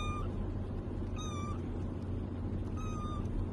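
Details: A little cat meows when called, three short level meows about 1.5 seconds apart over a steady low hum.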